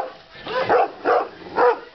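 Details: A 7.5-month-old Romanian Raven Shepherd Dog, a livestock guardian breed, giving three short, deep, rough barks about half a second apart.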